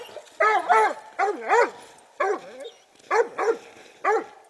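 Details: Treeing Walker Coonhound named Clover giving drawn-out, bawling barks that bend down in pitch, often in pairs, with short pauses between bursts.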